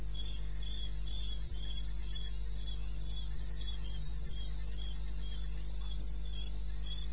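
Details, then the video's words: Wild crickets calling in the wilderness of eastern Botswana at 2:30 am on 21 May. High, even chirps pulse about four times a second, a second lower caller overlapping, over a steady low hum. "1 Hour cricket sound"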